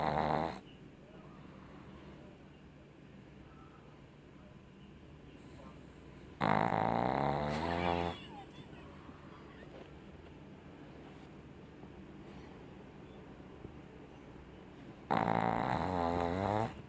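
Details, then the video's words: Boris, a pet pug, snoring while asleep: loud rasping snores with harmonic bands at the start, around six to eight seconds and again near fifteen seconds, separated by quieter breathing. "Boris roncando!"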